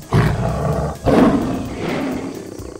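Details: A lion gives two deep, rumbling roars about a second apart, the second longer and fading into a low, growling exhale.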